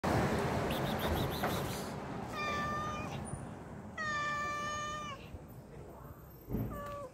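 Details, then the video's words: Hungry pregnant cat begging for fish, giving two drawn-out harmonic meows, the second longer and falling at its end, plus a short third meow, over steady low background rumble and noise. "Pregnant cat meowing for fish"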